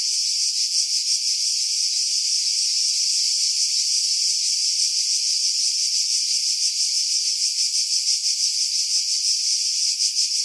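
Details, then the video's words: Cicadas singing in pine trees about 50 m above the sea at Pefkos Bay, Skiros Island, Greece, in July 2018; a dense, continuous high-pitched buzzing drone with a fast pulsing texture, filtered to remove wind buffeting. "Cicada Sounds, July 2018 Skiros, Greece"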